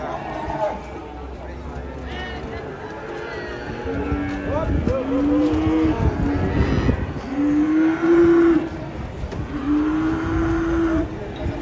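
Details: Cattle being unloaded from a truck give low, drawn-out moos, three steady lowing calls in the second half, each about a second long, over rumbling engine and crowd noise.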